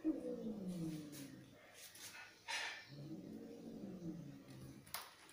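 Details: Angry domestic cats fighting indoors: low, wavering, drawn-out yowls that slide downward, broken by a short harsh burst midway, then a second long moaning yowl, with a sharp click near the end.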